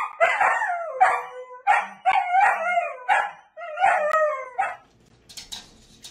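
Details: Luquita, a miniature dachshund, cries during her first bath in a run of short quavering whines, about one every second, each sliding downward. The last second falls to quiet splashing and rustling.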